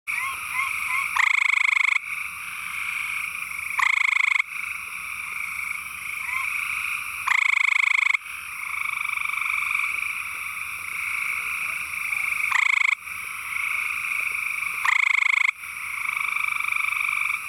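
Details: An amorous male gray treefrog (Hyla versicolor) in East Texas gives loud, musical trills in bursts to attract a mate; females prefer males with longer trill segments, a sign of higher genetic quality.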